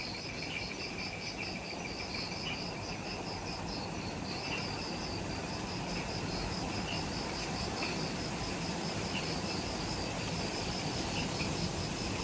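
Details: Twilight insect chorus just after sunset in jungle near the Mount Omoto trailhead on Ishigaki Island, Okinawa, Japan: continuous shrill pulsed trilling with faint chirps layered over heavy broadband noise and low rumble.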